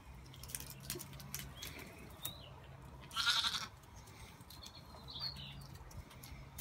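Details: Lambs out for an afternoon run around, giving one short, high, strained bleat midway through, with rustling, soft thuds and faint background noise around it.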